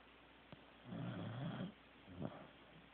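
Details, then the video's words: Sleeping Corgi named Teddy with one drawn-out, low, rough snore lasting under a second, followed by a fainter snort; quiet room otherwise. "Teddy SNORING"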